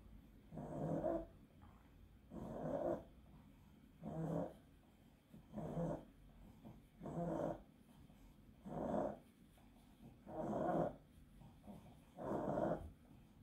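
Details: Pug with encephalitis straining through an epileptic seizure, giving harsh snorting, rasping breaths that come in steady bursts about every one and a half seconds, seven in all, over a quiet indoor background.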